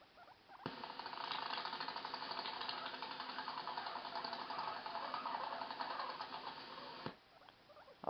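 A guinea pig chatters its teeth in a fast, dry clicking run, an angry warning to keep away.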